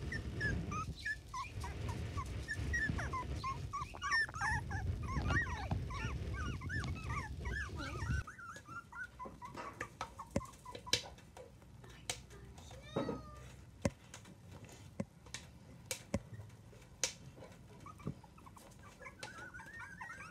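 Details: Miniature dachshund puppies from a litter of seven, aged between two and twenty-five days, in their first three weeks: dense, high squeaky whimpers and squeals crowd the first eight seconds over a low rumble, then thinning to scattered squeaks and sharp clicks.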